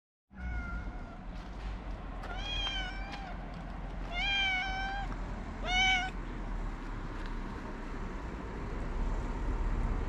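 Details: Hungry feral street cats waiting for food: three drawn-out, tonal meows with rich harmonics between two and six seconds, over a steady low rumble of outdoor background noise.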